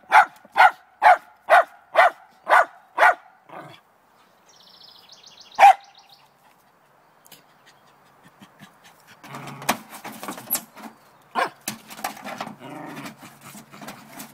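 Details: Morning barking from Trina the Lakeland Terrier, set on catching a chipmunk inside a downspout: seven quick sharp barks in a row, one more after a pause, then rustling, scraping and a few scattered barks.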